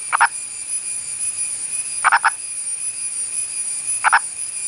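An Indian purple frog gives short, gruff clucking croaks about every two seconds.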